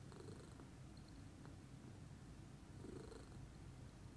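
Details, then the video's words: Calm morning purring from a female lilac Scottish Fold cat: a continuous deep, even rumble with a slightly stronger breathy swell near the end. "calming purr meditation"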